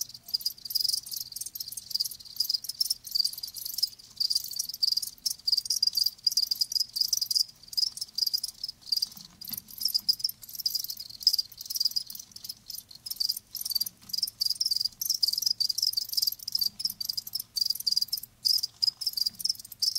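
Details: Continuous high-pitched chirping from live crickets, a fast and nearly unbroken stream of pulsed notes with only occasional brief dips.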